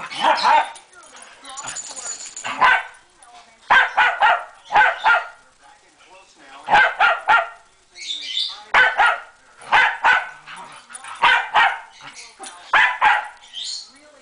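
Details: Sunday-morning play between dogs Moe and Porter brings clusters of loud, sharp barks, mostly in pairs and triplets, separated by brief quiet gaps, with a thin high whine early on and light scuffling throughout.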